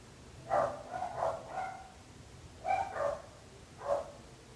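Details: Barking dog giving two clusters of woofs: three quick barks, a silence of about a second, then three more, each bark mid-pitched and hoarse with ringing overtones.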